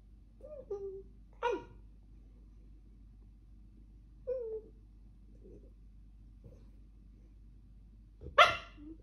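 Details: Weimaraner barking insistently in the background while another dog tries to sleep indoors: soft, whiny yelps and short, falling moans, one sharper bark early on, and a loud, harsh bark near the end.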